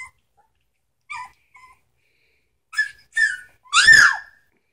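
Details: A three-week-old Samoyed pup from Sitka and Izzi's litter gives a few faint squeaks, then two rising whines and a loud, falling yelp to close.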